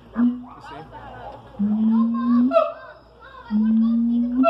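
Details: Siamang at the Columbus zoo in the morning giving long, low, drawn-out booming notes that rise slightly, spaced about two seconds apart, with quieter yelps in between and faint background voices.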